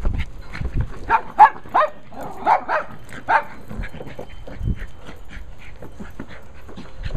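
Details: Female Cairn Terrier Abby, busy with her ball, pants in rhythmic, huffing breaths, louder at first and then softer, with faint background rumble.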